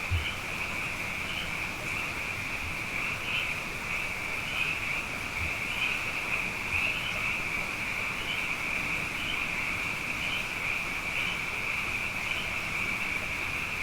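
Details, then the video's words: Night chorus of many frogs after two consecutive wet years, a continuous high trilling drone with regular swells roughly every second, soft low thumps beneath. "Frog Songs: Na Mele o nā Paloka"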